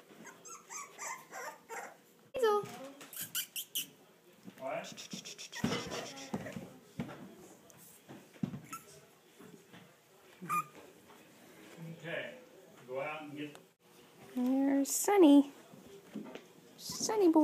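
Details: Four-week-old English Bulldog puppies, away from their mother for the first time and starting to talk back, give short high rising whines and squeaks scattered through steady close indoor talking from a woman.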